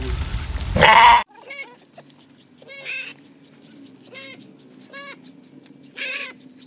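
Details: A goat being bathed gives a series of wavering, nasal bleats roughly once a second, each with a quavering tremolo, after a loud splash or burst of handling noise at the start.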